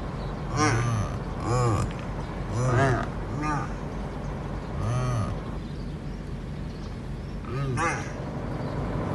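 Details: Male addax, an endangered desert antelope, pressing hard around the females and keeping others away. It gives a series of short, arched, nasal grunting calls about once a second with pauses, over steady engine rumble and some human voices.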